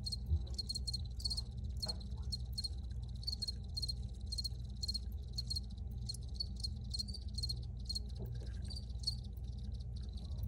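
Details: Recorded crickets giving brisk, repeated high chirps in quick bursts, a few insects overlapping in rhythm, with constant low-pitched hum underneath.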